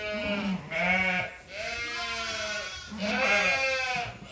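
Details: Sheep at Ewetopia Farms waiting for their feed during daily farm chores; three loud, wavering bleats come one after another, each a rich nasal cry, the first and last overlapping with other voices from the flock.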